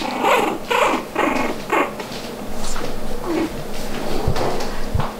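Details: Red toy poodle puppies playing and fighting with one another: rough little growls and yelping bursts come in quick, uneven succession, mixed with scuffling and knocking noises.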